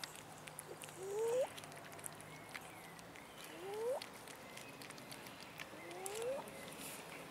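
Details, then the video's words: Begging for food, abandoned cats in a city park repeat a short rising meow three times, roughly every two and a half seconds, against quiet outdoor noise. "ABANDONED CATS IN OUR CITY PARK BEGGING FOR FOOD"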